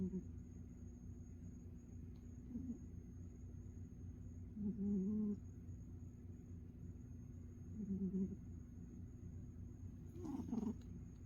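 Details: Snoring from Ninjan, a dozing pet cat: low, soft droning breaths roughly every three seconds, a brief rustling click near the end, and a faint steady hum in the quiet room.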